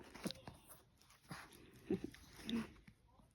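A Maltese gives short, insistent whines and yips, pestering for its toy to be thrown.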